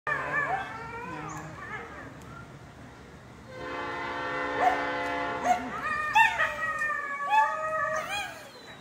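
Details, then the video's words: Coyotes howl and yip in a wavering chorus at a passing train, its horn blaring steadily in the middle. "Coyotes howling at train"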